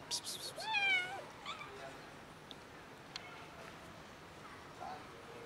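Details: Hungry neighbourhood street cats, six of them, fed regularly outdoors and meowing loudly: a loud drawn-out harmonic meow bending down then level, preceded by a brief scratchy burst, then quieter background.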